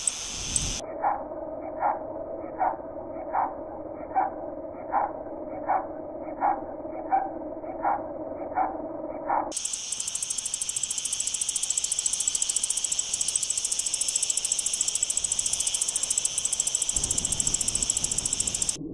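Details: Singing male Mediterranean wart-biter, Decticus albifrons, recorded in the Sierra Nevada, Andalucia, Spain, dated 9-7-2022. A slow, regular series of lower, tonal pulses gives way to a dense, continuous high-pitched ticking buzz that fills the second half.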